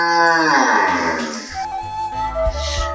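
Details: Cattle at a cattle market in Haropara, Bhangura upazila, Pabna district, Bangladesh; one long, rich moo sliding downward in pitch over about a second and a half, followed by low rumbling market background.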